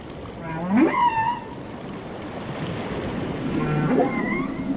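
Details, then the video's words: Whale song over a hiss of sea noise: a low note swooping up into a wavering high whistle, then softer moans and upsweeps later on. "Song of the Whales"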